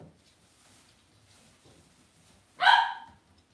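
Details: Cavalier King Charles Spaniel puppy in an indoor home puppy pen gives a single clear, high yip after a few seconds of faint rustling and soft room noise.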